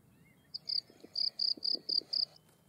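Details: A field cricket (Gryllus campestris) sings bright, high chirps in quick succession, several each second.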